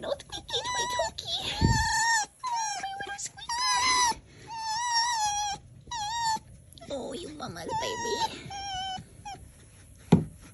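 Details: Fox on Halloween making a rapid series of high, squeaky whines and wavering yelps indoors, some rising and falling, mixed with a person's speech and a thump.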